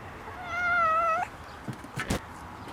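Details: A cat gives a single drawn-out, level meow of clear harmonic tone lasting under a second and ending with a slight upturn, followed by a couple of soft thumps and a brief rustle.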